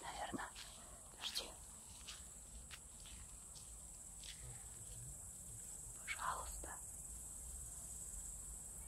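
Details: A great green bush-cricket (Tettigonia viridissima), a giant one hidden in the grass, stridulates with a steady, high, hissing buzz while people talk quietly nearby.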